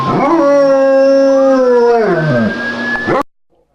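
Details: A single sustained German Shepherd howl, steady then bending downward, answering a police siren whose rising tone creeps in near the end before the sound cuts off abruptly.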